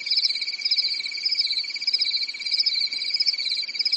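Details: Crickets chirping on a calm summer night in a European forest; a dense, steady, high-pitched pulsing trill in two layered bands, with slight waves in loudness and no other clear sounds.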